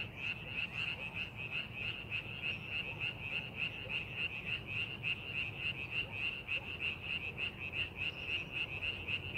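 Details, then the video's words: Frogs in a rice paddy prepared for farming croak in a steady rhythmic chorus, short pulses repeating nearly twice a second, backed by a continuous murmur of distant callers and low rumble. "농사준비하는 논에서 개구리 울음소리"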